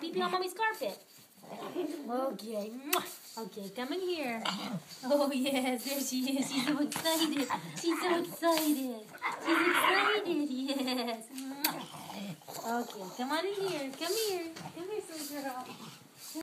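A pug howls excitedly in wavering, rising and falling tones to greet its returning owners.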